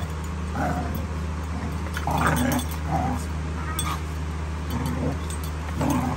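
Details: Schnauzer puppies on their last day in Texas, watched by a puppy cam, give high whimpering yips in short bursts roughly every second, some with a rising whine, over a steady low electrical hum.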